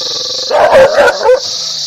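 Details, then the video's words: Single dog giving a quick double bark with a brief yelping edge, set against a constant high, thin hissing tone before and after. "Dog barking happy ,agrassive, loudly,angry"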